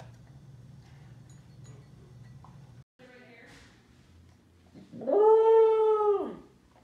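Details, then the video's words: Pembroke Welsh Corgi, a female pet in sunny Phoenix, Arizona, howling while eating, a habit since about four months old: low background hum and faint noises, then one loud steady 'awoo' lasting about a second and a half. "Corgi Howling While Eating | A Compilation of Food Awoos"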